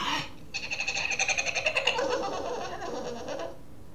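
A Boston terrier puppy makes a rapid, pulsing run of high, squeaky grumbles when it wants to play.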